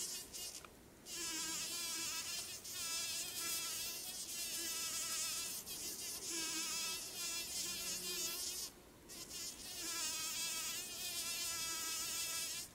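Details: On a summer trail to Tolmie Peak, July 20, 2013, a large bumblebee works a white thimbleberry flower for pollen. It gives a continuous droning hum, broken by two short gaps.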